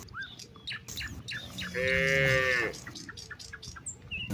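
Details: At evening in a wide rice field grazed by hundreds of cattle, a cow calls its companions home: a single moo of about one second amid busy bird chirping and rustling background noise.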